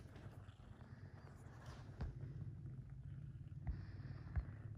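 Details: Kitten purring loudly while getting a massage, a steady low rumbling throb held throughout, with a few soft clicks and rustles over the top.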